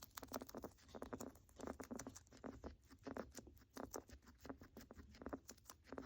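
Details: Pet guinea pig with a crackling, rattling breathing noise, a sign of respiratory illness: dense runs of short dry clicks and crackles in uneven bursts, with a faint low hum beneath, indoors.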